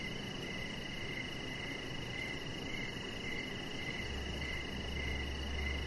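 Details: Evening crickets near a deck where a chihuahua puppy lies. Rhythmic chirps pulse roughly twice per second above a continuous shrill tone, with a soft rumbling hiss underneath and a low hum entering near the end.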